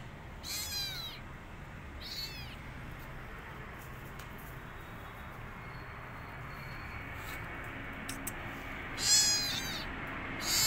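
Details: Rescued kitten, alone and wanting its mother, gives high-pitched, thin meows with arching harmonics: two close together early on, then a pause of several seconds before a louder final pair, over a steady low background hiss.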